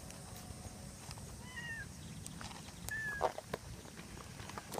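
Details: Shimashima, a striped stray cat that always comes over to join a Siberian Husky on its walks, gives two short, faint meows: a brief harmonic cry, then a thinner higher note. Outdoor rustle and scattered clicks continue throughout.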